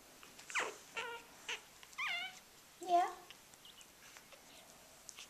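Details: Two-week-old puppies in spring 2012 give a string of short, high whimpering squeaks, several sliding downward, spaced about every half second to a second, with faint human voices nearby.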